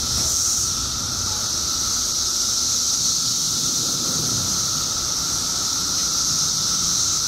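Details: Periodical cicadas emerging en masse in Illinois after 17 years underground: a clean, overpowering high-pitched buzzing wall of sound with a steady lower whine, continuous from start to finish.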